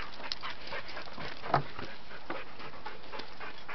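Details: Dante, a pet dog unable to reach his toy, pants in short breathy bursts repeated through the moment, a faint whine at the end, low rumbling background noise.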